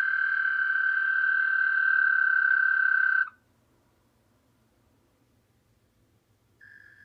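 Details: A captive pet American toad, soon to be released into the wild, gives a long, steady, musical trill on one pitch, then starts another.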